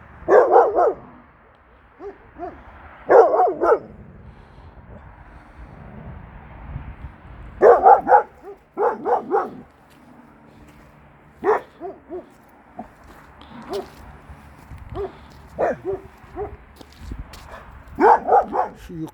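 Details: Kangal dog Nazo barking at an unfamiliar female dog uphill, probably abandoned by its owner; short clusters of rough barks recur every few seconds across the recording.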